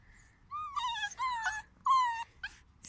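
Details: A male beagle gives a string of high, wavering whines and yelps, each falling slightly in pitch.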